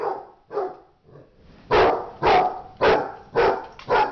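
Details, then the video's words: Dogs in a fight, giving a series of harsh, broad barks, three softer ones first, then five loud bursts at about half-second intervals, each strong through the middle range. "dog fight"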